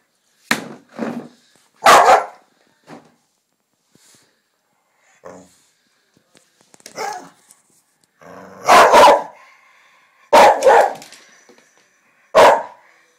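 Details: Two Irish Terriers argue in May 2010, giving scattered sharp barks and short rough growls in bursts, with quiet gaps between outbursts and a loud cluster of snarling barks near the end.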